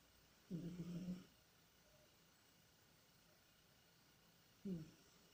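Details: Sleeping cat Tikhon, dreaming and running in his sleep, lets out a short, low, hoarse moan, then near silence before a second brief groan cuts in.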